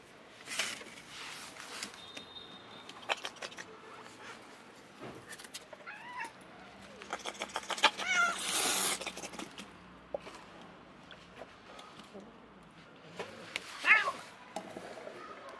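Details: Mother cat caring for seven kittens, five her own and two adopted orphans; several short high mews and kitten cries scattered through, with clicks, rustling and household noises between calls.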